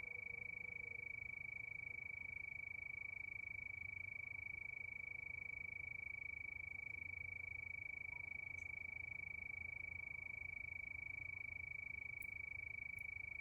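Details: Crickets at night under the moon keep up a constant, high-pitched trill of fast, even pulses; a faint low tone drifts in early on and a few tiny sharp ticks sound near the end.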